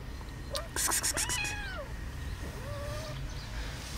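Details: Cat meowing near another cat that hisses: a burst of broadband clicking and rustling, then a descending meow and a softer rising one, with low background rumble.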